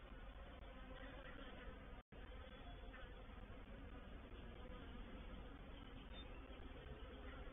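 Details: Reproductive swarm of honey bees moving into a bait hive, or swarm trap, at Painted Peacock Manor, dated 04/07/21. The low, dense buzzing hum is unbroken except for a brief dropout near two seconds.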